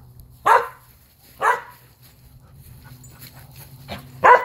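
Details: A three-year-old Skye Terrier outdoors, up for adoption; three sharp single barks spaced about a second apart, with a low steady hum underneath.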